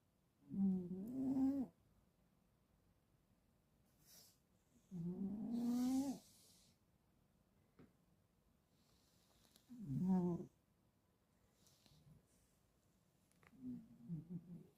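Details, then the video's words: Sleeping Ragdoll cat snoring: loud, harmonic, wavering snorts about a second long, repeating roughly every four to five seconds, with quieter breaths between and a softer, rougher snore near the end. "SLEEPING SNORING BEAUTY"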